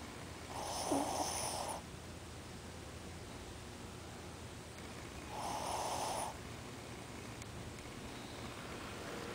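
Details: Ozzy, a pet Shih Tzu, sleeping with eyes open and snoring: two breathy, rasping snores about five seconds apart, each lasting around a second, over a quiet indoor background.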